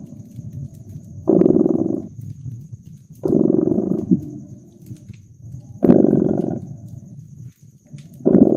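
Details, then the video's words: Rhythmic cat purr recorded by a fireplace in cozy winter ambience; four loud vibrating rumbles at roughly two-second intervals with softer purring between them and scattered crackles of burning wood. "Relax with Purring Cat and Caracking Fireplace"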